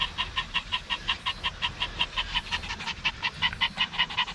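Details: Maltese dog on a seaside outing at Dolmeori beach, Korea, breathing in rapid rhythmic pants, roughly two to three huffs each second, fairly regular with a slight stumble near the middle.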